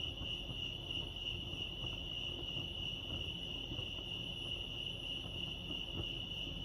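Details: Continuous high trilling of crickets at Lake Arrowhead, California, the pulses merging into a steady ringing tone, with quiet low background noise underneath.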